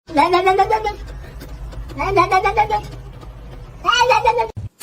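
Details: Domestic cat in a funny-cat compilation, giving three drawn-out, harmonic meows, each rising then falling, spaced about two seconds apart, with low indoor hum underneath.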